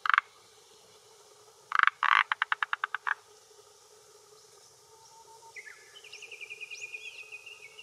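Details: Calling male Forest Green Tree Frog, vocal sac inflating, at a hillside pond in Japan during early June late afternoon, holding territory and drawing females: a croak, then a fast series of eight rattling pulses, followed by a bird's trilled whistling.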